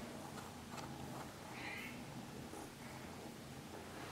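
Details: Norwegian Forest cat purring, a steady low rumble running unbroken through the whole stretch, with one short high chirp-like sound near the middle and soft background hiss.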